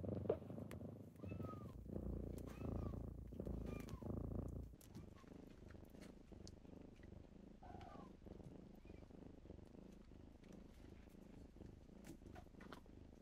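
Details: Kittens waking their owner in the morning: a strong low purr fills the first few seconds alongside soft, short chirpy squeaks, then the rumble drops to a quieter, steady murmur for the rest.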